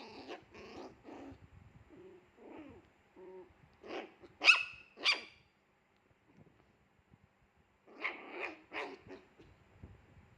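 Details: Fierce Pomeranian barking: bursts of sharp, high barks, a few short yaps, then two loud shrill barks near the middle and another cluster of rapid barks toward the end, with quiet gaps between.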